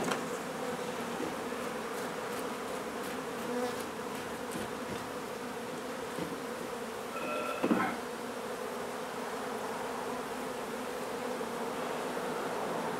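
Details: Honey bees humming during a hive removal from an old house being renovated in Donna, Texas, in hot weather: an even, continuous drone throughout, with one brief higher tonal squeak midway.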